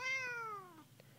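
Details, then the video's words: A talkative black and white house cat gives a single clear meow indoors, rich in harmonics, beginning bright and gliding lower for nearly a second before fading into room quiet. "TALKING CUTE KITTY"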